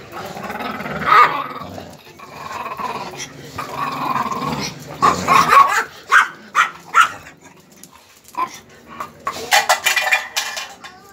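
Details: Five-month-old pit bull puppy giving low growly rumbles early on, then a run of short sharp bark-like bursts between five and seven seconds, with scattered knocks and handling noise around it.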